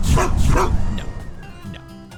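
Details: Dog barking: two sharp, punchy woofs in quick succession at the start, followed by fading musical tones and light background music.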